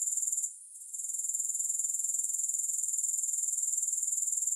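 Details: Continuous shrill grasshopper stridulation, a high hissing buzz pulsing rapidly, briefly fading out just before the first second and then resuming evenly.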